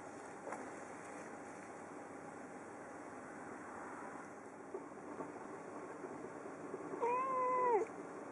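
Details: At Christmas, a female house cat sits at the window waiting for birds, fussing and meowing. After seven seconds of steady hum and background noise, she gives one short, level meow that drops at the end.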